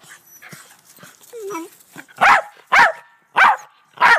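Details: Black terrier barking in a back yard, kept with two white Rat Terriers; four loud, sharp barks come roughly every half to two-thirds of a second in the second half, after softer yips and quiet human voices.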